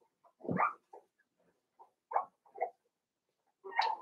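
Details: Cavalier King Charles Spaniel puppies, five weeks old, in their pen: a few short squeaky yelps and whines, scattered irregularly, ending with a louder, rougher bark-like yelp.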